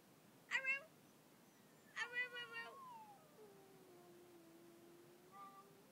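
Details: Pet dog howling over a person's screaming, which he hates: short bright harmonic cries followed by a long, drawn-out tone gliding slowly downward, then a brief quieter wail near the end; indoor room.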